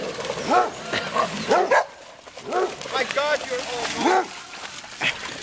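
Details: At an Amsterdam dog park in Holland, the basset hound Darco and Scooby Doo give a run of yelping barks and whiny arched cries, mixed with people talking nearby.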